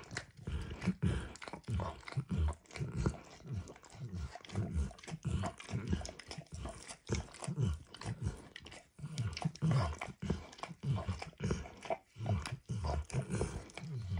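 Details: Indoors, Emperor Max the dog laps food off a bumpy orange lick mat. Steady wet, low-pitched slurping strokes come in quick succession over fourteen seconds, broken by a few brief gaps, with no voices.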